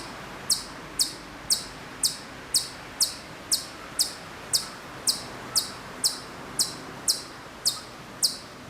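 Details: Hokkaido chipmunk calling from quite far away at Maruyama, Sapporo, Hokkaido, in September 2014: sharp, high, clicky chips repeated steadily about twice a second, around seventeen in a row, over faint outdoor background.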